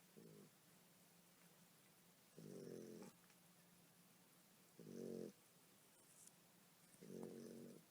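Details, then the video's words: Mother dog sleeping and snoring while nursing her puppies: low rasping snores with a harmonic band, each about half a second long, coming roughly every two to two and a half seconds, with a faint steady hum between them. "Nursing puppies while Snoring"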